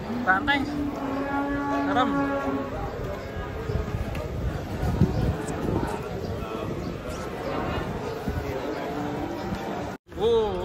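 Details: Large fat cattle stepping down from a truck; a long, flat, low moo holds for over two seconds at the start, with later fainter lowing amid continuous noisy bustle and a brief dropout.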